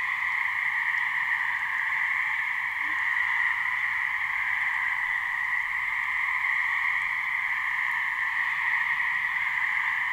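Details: In a New Hampshire swamp, a couple of gray treefrogs (Hyla versicolor) call to mate, their trills merging into one steady, unbroken, buzzy drone in two bands, with a faint low rumble beneath.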